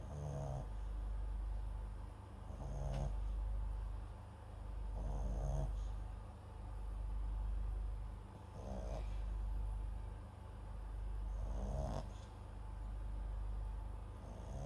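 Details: Papillon × Japanese Chin mix dog MAX asleep, microphone close by, snoring in a steady rhythm: six short rasping breaths spaced about two to three seconds apart, low background hum throughout.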